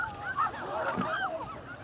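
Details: A pod of four Bigg's (transient, mammal-eating) killer whales, including an adult male, travelling southbound through Puget Sound off Washington on 1 February 2014, gives nasal, wavering calls that rise and fall in quick, overlapping strands.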